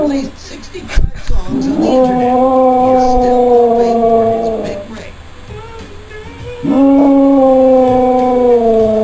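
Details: Female German Shepherd and Chow Chow mix, about four years old, howling indoors at a television: two long, steady, tonal howls, slightly falling in pitch, each lasting several seconds, over TV speech and music.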